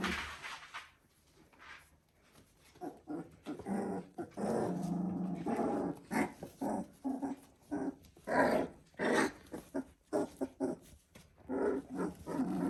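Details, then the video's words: Three-week-old Border Collie puppies indoors: irregular, soft growling and whimpering in short bursts, quieter at first, then thicker and more frequent. "Border Collie Puppies "S2" 3 weeks/Sounds"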